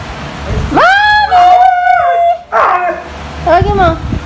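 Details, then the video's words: Siberian Husky, a female, vocalizing to ask her owner to go out: a sharp upward swoop settles into a steady, sustained howling tone. It is followed by a falling yelp-like slide and a brief, higher rising whine. "Husky Calling her mom!"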